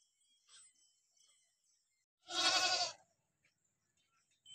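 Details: A single Barbari goat bleat at a goat farm in Bidhuna, Auraiya, Etawah, Uttar Pradesh: one short, harsh, wavering cry lasting under a second, with faint high hissing and small clicks before and after.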